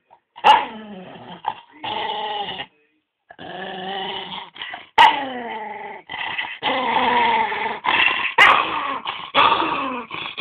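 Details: Pantufa the dog growls and sings while playing with his ball, in a near-continuous run of rolling, wavering moans broken by brief pauses, with a few sharper yip-like accents.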